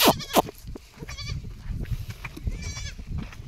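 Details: Domestic goat of a breeding-quality type chosen for goat farming, giving two sharp, wavering bleats in quick succession at the start and a fainter, thinner bleat near the end, over low rumbling background noise and scattered knocks.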